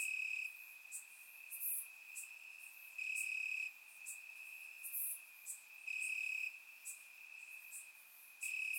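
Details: Night chorus of crickets in summer grass in Bulgaria, surround-recorded: a constant shrill trill punctuated by louder chirping bursts near every three seconds, with faint higher ticks above.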